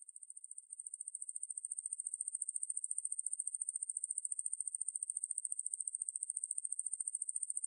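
A conehead katydid gives a steady, very high, finely pulsed buzz that runs on without a break.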